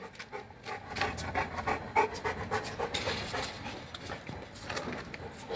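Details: Boerboel, also called African or South African Mastiff, a dog kept in Egypt, panting in quick breathy bursts of about three to four per second. The bursts are uneven in strength and run throughout.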